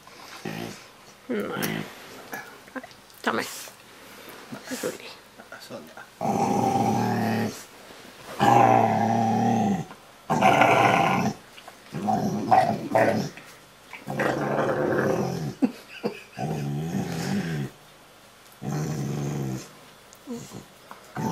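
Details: A female Rottweiler that "talks" when cuddled makes long, rumbling, moaning growls in bursts while a person speaks softly to her in Norwegian.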